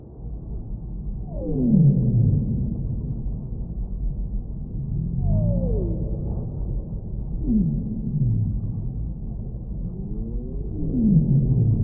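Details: Humpback whale song underwater: loud moaning units that slide steeply downward from mid to low pitch, some paired with fainter rising sweeps, recurring roughly every three seconds over a steady deep rumble.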